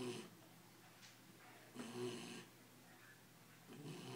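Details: Sleeping Belgian Malinois puppy aged ten weeks, worn out and content, giving gentle snores: short rasping breaths with a low hum, spaced about two seconds apart against faint indoor background hiss.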